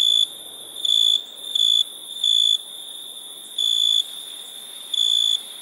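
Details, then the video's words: Crickets chirping at nighttime: a clear, high, pure-toned chirp comes in short bursts, about seven in under six seconds, some brief and some longer, over a constant shrill, even drone of other insects. "Relaxing Chirping Crickets"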